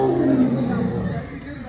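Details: Tiger in Thiruvananthapuram Zoo roaring at visitors; a short, deep, rough roar that fades over under two seconds, with a person exclaiming nearby.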